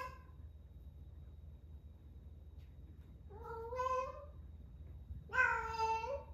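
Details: Ame, an 11-month-old rescued female cat in her first heat, calling eagerly before spay surgery: a quiet pause, then two drawn-out, rich harmonic meows about two seconds apart, the second louder and rising at its end.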